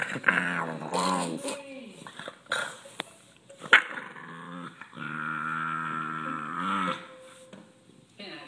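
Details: A pet Boston Terrier, irritated at being touched while relaxing, makes strange guttural growling noises: drawn-out harmonic growls, a long sustained grumble in the middle, with a person speaking to the dog in between.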